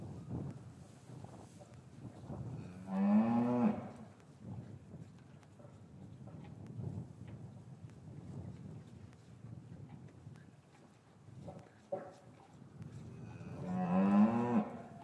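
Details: Cows lowing in a traditional English cattle yard on a winter's afternoon, calves separated from their mothers; two loud moos about eleven seconds apart, each a short rising bellow, with footsteps, clatter and rustling between.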